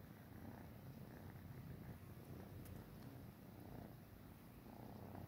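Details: Tabby kitten hungry for milk from a Siamese cat: a steady, soft, low rumbling purr throughout, quiet and continuous with no breaks.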